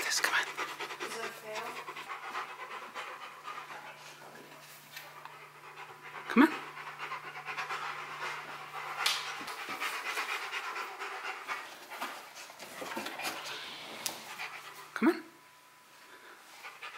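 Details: Steady, rapid panting from Bruno the Rottweiler as he works at a box maze challenge, with a man urging him on, 'Bruno, you got this, come on', and occasional knocks of the box.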